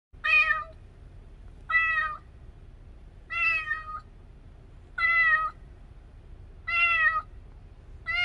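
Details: Rescued kitten named Cherry, a young street cat, meowing indoors: six clear harmonic meows, each about half a second long, repeated roughly every one and a half seconds over a faint low background hum.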